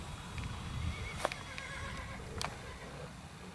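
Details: Missouri Fox Trotter horse at an East Texas trail ride near Douglasville, Texas, giving a faint wavering whinny of stacked tones amid sharp clicks, low rumbling outdoor background.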